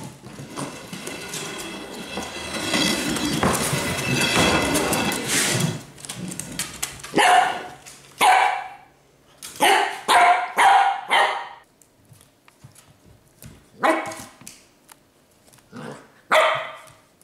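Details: A Pembroke Welsh Corgi playing with a stick gives sharp, repeated barks after a stretch of rustling, scuffling noise.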